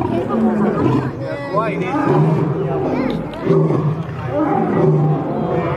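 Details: Lions fighting, two animals trading gravelly growls and snarls, loud and sustained, with pitch wobbling and brief louder surges around the middle and end.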